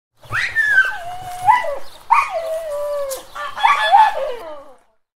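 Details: Dog. A dog gives a run of high-pitched whines, each starting sharp and sliding down into a drawn-out, wavering tone. Three such whimpers come in close succession, the last one breaking into a shaky, uneven cry.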